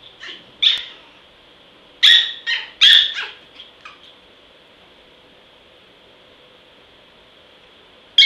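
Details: Small dog, described as vicious, gives a cluster of sharp, high, rasping yaps between two and four seconds in, falls silent, then yaps once more at the very end over a steady faint hiss.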